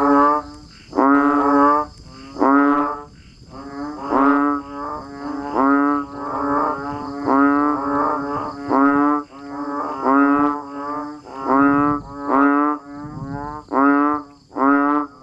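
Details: Rain-time chorus of banded bullfrogs and frogs in nature: low, buzzy, horn-like notes repeated roughly every second, overlapping callers forming a pulsing series of moaning calls, with a faint constant high-pitched hum throughout.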